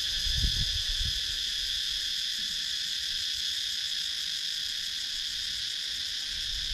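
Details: Sakon Nakhon, Thailand countryside woods with cicadas, GoPro Hero 9 capture; flat, sustained piercing buzz in several bands, a few soft low knocks at the start.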